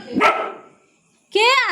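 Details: Pet dog barking loudly at nobody, apparently for no reason: one sharp bark, then after a short pause a higher rising-and-falling harmonic yowl; a person speaks Bengali just before.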